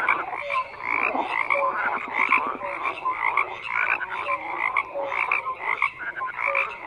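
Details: Croaking frogs in a thick continuous chorus; rapid rattling pulses around short clear tonal notes, many callers overlapping throughout.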